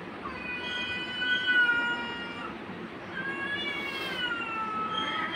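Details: Domestic cat, angry and attacking a kitten, giving two long, loud, harmonically rich wailing meows, the first falling slightly, the second rising then falling, over background hum.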